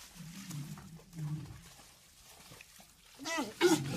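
Walrus giving low, rumbling grunts, then a rough, sweeping bellow that rises and falls.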